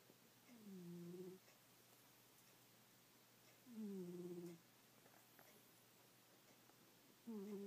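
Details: Snoring from Goldie, a sleeping pet cat: steady rhythm of drawn-out, whistly nasal snores, each bending downward in pitch, about three seconds apart in a quiet indoor room.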